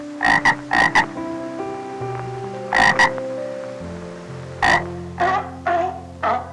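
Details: A frog gives loud, rough croaks in pairs and singles, spaced irregularly about every half second to two seconds, over steady background music with sustained tones.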